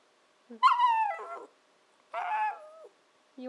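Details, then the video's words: Young Shiba Inu Nanako, aged 14-15 weeks, 'talking' as she does when wanting breakfast or dinner; two long, wavering, howl-like moans that slide downward, each about a second long, with a brief sound starting at the end. "A Conversation with Nanako"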